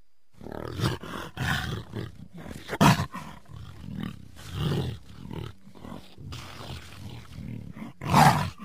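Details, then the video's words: Rhythmic series of low, coarse grunting roars from a jaguar, each short pulse following the last at roughly half-second intervals, swelling into a louder rasping burst near the end. "Jaguar Sounds"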